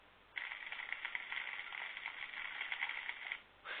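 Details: Underwater recording of snapping shrimp, a big contributor to background sound in tropical waters: a dense, continuous crackle, like frying fat or twigs breaking.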